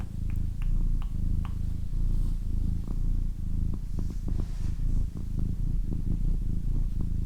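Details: A female pet cat purring in a deep rhythmic rumble that swells and eases with each breath, with a few light clicks early on and short ticks later.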